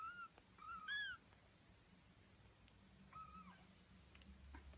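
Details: Birman kittens about 19 days old, a litter of five, give a few short, high, arching mews, soft and kitten-like, heard close up.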